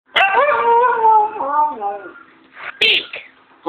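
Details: Siberian Husky; talking howl; asking for treats on command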